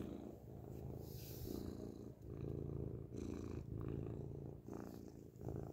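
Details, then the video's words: A grey cat's loud purr recorded up close, a rich low vibrating rumble alternating between inhale and exhale roughly every second, with a few faint rustles. "beautiful grey cat purrs loudly up close"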